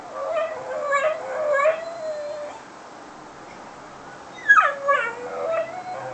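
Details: Whippet in foster care howling when left alone in the house: short yelping cries slide into a drawn-out, level howl, then after a silence a sharp yip falls into another sustained, wavering howl.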